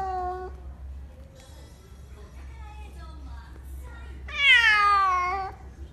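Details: Cat giving a short meow at the start, then quieter faint sounds and murmuring, ending with a loud, long, descending meow held over a second above a low background hum.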